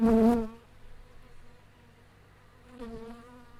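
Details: Wild honey bees near their natural hive inside a big tree: a strong, low, harmonic buzz as one bee zips close by, then silence, then a fainter, shorter buzz as another passes about two and a half seconds later.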